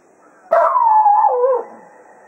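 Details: Serenading the hounds at the close of a foxhunt at Quail Roost, Cato, a Jack Russell Terrier, lets out a single loud howl that holds steady briefly, then drops lower before trailing off.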